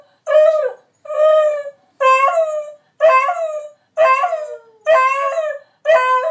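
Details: Two pet dogs howling and yelping as a trick: repeated wavering howls, each under a second long, about one per second, slightly rising then falling in pitch.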